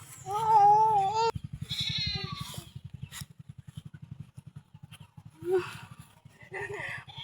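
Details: Goat at feeding time gives a loud, wavering, nasal bleat lasting about a second, then fainter bleat-like cries and human voices, over a steady low pulsing rumble throughout.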